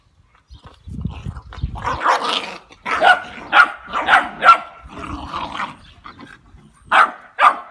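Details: Labrador Retriever puppies, two and a half months old, playing in Seville: low rumbling growl early, then a run of short, high, irregular yelping barks and playful squeals overlapping, roughly two per second.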